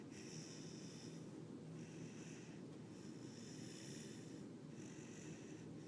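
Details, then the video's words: Axel, a tired Siberian Husky puppy, snores in the morning, with four drawn-out wheezy breaths, each about a second long, separated by short pauses over a constant low hum. "Husky puppy snoring loudly"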